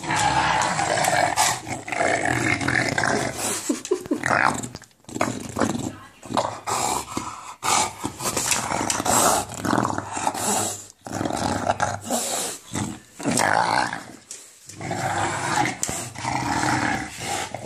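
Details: An English Bulldog growls and grumbles in rough, throaty "monster" bursts while playing with a tennis ball and attacking feet, with a person talking.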